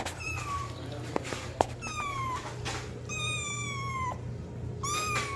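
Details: Kitten meowing loudly while calling for its mother indoors: four high, drawn-out meows, each sliding downward, spaced about a second apart, with a couple of sharp clicks between them over a steady low hum.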